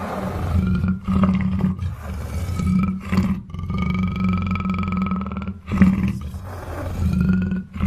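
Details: Deep, continuous growling roar from a black panther, a low throaty rumble carrying clear tonal whines that slide slowly upward, with brief gaps near the start and just before the sixth second.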